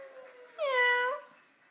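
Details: Meowing Jack Russell terrier: a single clear, tonal, catlike wail of about half a second with rich overtones that bends upward at its end, quiet room tone before and after.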